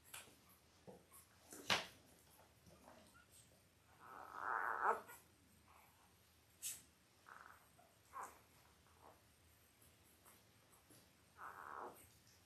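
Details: Five-day-old Labrador Retriever puppies, Belle's litter of five males and three females born October 15, 2023, indoors on a live puppy cam; scattered short squeaks and one longer nasal whine, with soft rustling and snuffling between.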